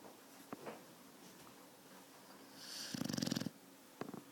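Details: Four-month-old Thai Ridgeback puppy asleep indoors, snoring very loudly: one rasping, pulsed snore lasting under a second with an airy hiss on top, set between quiet breathing and a few faint clicks.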